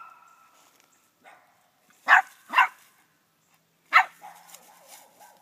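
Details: Eleven-week-old puppy named Atomic Crush, sired by Atomic Torch out of Little River Annie, treeing on a hung-up dead squirrel, the second she had seen. After a faint whine come two sharp, quick barks, then a third bark about a second and a half later.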